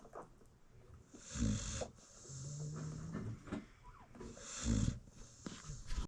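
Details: Nursing American Bully mother asleep with her newborn puppies, giving two deep, breathy snores about three seconds apart, with a faint thin squeak and light rustling between them.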